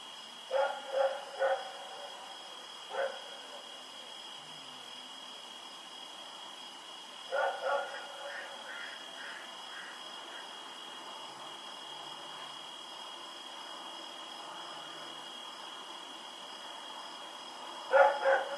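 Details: Rex, a dog, running around at night in Pyrga, recorded October 7, 2018, barking in short clusters: a quick run of three barks, a lone bark, a pair, then another burst near the end, over a steady high electrical whine.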